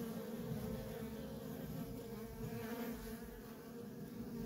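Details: Dense, continuous hum of worker honey bees streaming in and out of a feral colony, low droning wingbeats layered from many insects without pause.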